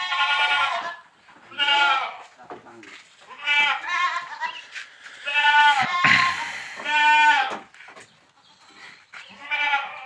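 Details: Boer goat on a village goat farm during crossbreeding with a young goat: loud, harmonic, quavering bleats repeated about six times in ten seconds, separated by short pauses, with faint handling noises.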